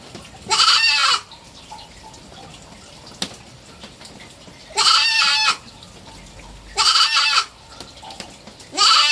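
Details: Pet goat kid, three months old, giving loud nasal bleats of about half a second to a second each, repeated roughly every two to three seconds, separated by quiet background with a single sharp click.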